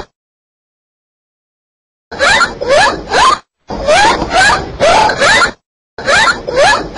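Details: Dolphin sounds come after two seconds of silence: three bursts of buzzy crackling, each laced with quick upward-sweeping squeals, separated by sharp cut-off pauses.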